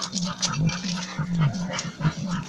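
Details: An English Bull Terrier growls low and steadily during a workout, refusing to let go, the rumble rising and falling in short surges.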